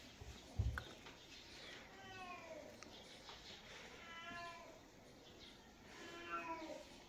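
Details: Domestic cat meowing three times at a low level, each call a drawn-out, wavering harmonic wail of about a second, with a short knock near the start and quiet room background between calls.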